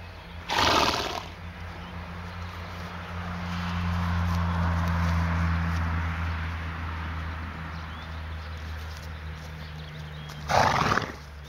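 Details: Fjord horse mare with a newborn foal, 1 May 2019: two short, harsh, breathy snorts about ten seconds apart, with a steady low hum underneath.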